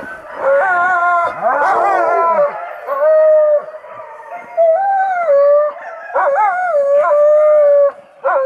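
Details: Alaskan Malamutes taken skiing by their owners howl in a chorus of long, sliding tones that bend up and down, broken into separate bursts with short pauses, a brief yip-like flurry near the start.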